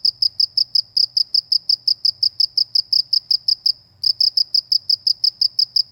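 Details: A cricket in the rural countryside chirping steadily, about five bright high pulses per second, one short pause near the fourth second, faint low hum in the background.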